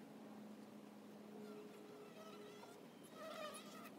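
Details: Honey bees at a hive entrance: a steady droning hum with sustained tones that rise and fall slightly over about four seconds, joined near the end by brief higher chirps and clicks.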